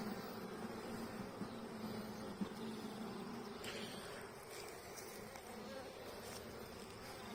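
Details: Honey bee colony seven weeks after a nucleus was installed, opened for a hive inspection with a healthy laying queen: a steady low droning hum throughout, with faint crackles and handling rustles.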